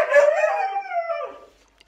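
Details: Siberian Husky pet howling indoors in a funny exchange over a mess; a short howl starting full and wavering, then sliding downward and fading out within two seconds.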